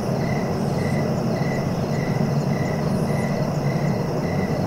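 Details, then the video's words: Crickets for sleeping, evenly spaced chirps roughly every 0.6 seconds, a soft higher buzz now and then, all laid over a steady low background roar. "Relaxing cricket sounds for sleeping"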